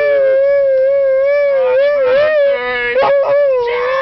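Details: Husky howling along as if singing happy birthday: a sustained, wavering tonal howl held steadily at one pitch with gentle rises and dips, rich in overtones, with brief breaks and a few short yelping inflections near the end.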